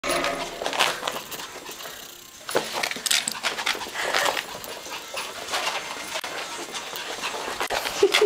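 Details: An excited Lhasa Apso puppy wanting to go outside gives rapid, breathy pants broken by short whimpering squeaks in uneven bursts, with scrabbling and rustling around it and a person's brief exclamation after.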